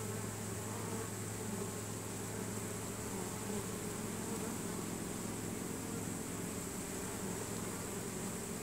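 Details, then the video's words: Honey bee swarm in a chain reaction of marching into its new home, a constant low droning buzz with layered wingbeat tones and no break. "Honey bee swarm march"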